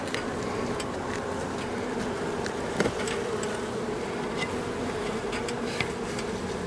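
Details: Honey bees from a long-time wall colony turned angry as darkness fell during a house cutout, giving a thick, continuous droning hum with a few sharp ticks and a brief knock near the middle.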